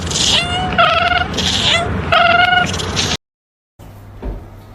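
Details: Domestic cat giving a run of short, steady-pitched meows, about four within three seconds, over a busy, noisy background, then a brief silence and a quieter stretch of low rumbling.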